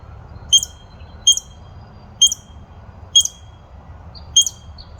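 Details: Barking squirrel giving sharp, high, hiccup-like chirps with a faint upper overtone, five clipped barks spaced roughly a second apart over a quiet low background.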